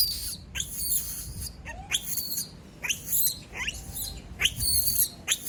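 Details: A lone female monkey cries out after everyone leaves her: piercing, high screams that drop steeply in pitch, repeated roughly once per second, each brief and harsh, over a quiet background rumble.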